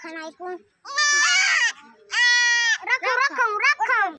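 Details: Young goats, four kids, give two strong sustained quavering bleats back to back, followed by a run of short wavering cries, with brief softer bleats at the start.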